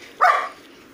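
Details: A Golden Retriever gives one short, sharp bark-like yelp lasting about a third of a second, bright and harmonic, followed by near silence.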